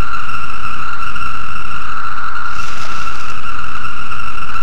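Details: A chorus of male 17-year periodical cicadas (Magicicada) in the canopy in Virginia, singing to attract females, forms a steady, unbroken droning whine over a low background rumble.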